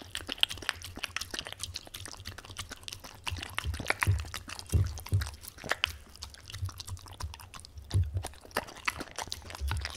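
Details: Tangza the Welsh Corgi at a bowl of wet dog food, producing moist lip-smacking and tongue clicks in quick irregular bursts, a few louder slurps near the middle, and a constant low background hum.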